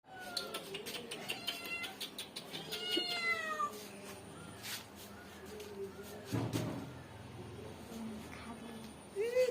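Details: A cat being fed a big piece of fish from the fridge meows repeatedly in the first few seconds, with high, falling harmonic cries, then quieter background clatter, a knock and women talking.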